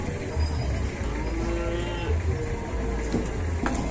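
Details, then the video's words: Cow being helped onto a truck by four villagers, apparently with a sore leg and walking unsteadily; a low, drawn-out moo with faint harmonics rises out of steady low rumbling background noise. "SAPINYA KASIAN HARUS DI TOLONG 4 WARGA UNTUK NAIK TRUK"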